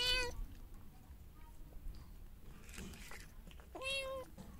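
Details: During feeding time with a mother cat and her kitten, two meows open and close the stretch, separated by quiet chewing and indoor background rustle.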